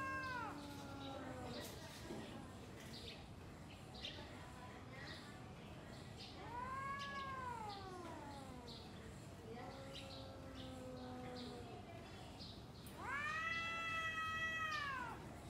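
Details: Domestic cats exchanging yowls ahead of a fight, long arching wails that swell and sag in pitch, several in sequence with brief pauses, ending in a loud, steady, high howl.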